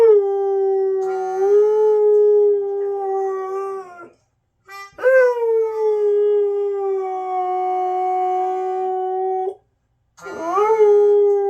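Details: A female Siberian Husky gives long, sustained howls that rise at the start and hold a steady mid pitch, reacting to squeaky toy and melodica sounds with music playing.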